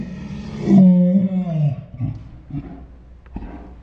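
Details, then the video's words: Ours, a pet Saint Bernard dog, 'talking' with dinosaur-like sounds: a deep, drawn-out harmonic moan of about a second that wavers and then breaks into short low grumbles and snorts. "My Saint Bernard makes dinosaur sounds"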